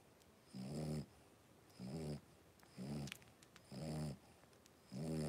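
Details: Three-week-old blenheim Cavalier King Charles Spaniel puppies, a litter of five in a home puppy pen, wrestling and playing; low, snore-like harmonic grunts arrive in steady bursts roughly once a second, with a faint high hiss over them.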